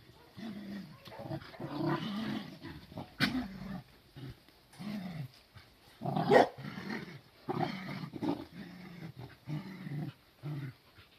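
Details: Growling from Cardigan Welsh Corgi puppies packed together on a garden lawn, 23 May 2020. Rough, rumbling growls arrive in repeated bouts separated by brief gaps, with two sudden sharp yelps standing out.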